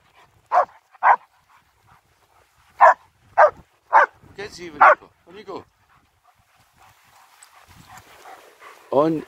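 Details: Winter outing with two German Shepherds in Hawick, Scotland, recorded on a phone. Irregular bursts of clipped barking, roughly five close together, then quieter rustling and a longer yelp at the end. A man speaks throughout.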